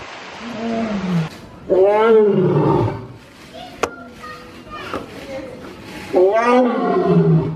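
A lion gives loud, rough roars that swell and then sag, with human voices possibly in the background.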